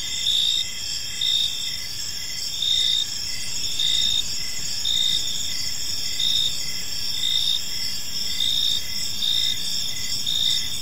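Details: Park crickets singing in the evening, sharp chirps pulsing about once a second over a steady high ringing chorus, with a noticeable low rumble beneath.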